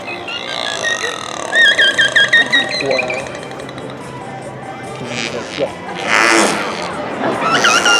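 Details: Captive killer whales (Orcinus orca) vocalize during a show at SeaWorld San Diego on 12/12/15, giving squealing, harmonic calls that bend up and down in pitch, with buzzy pulsed bursts.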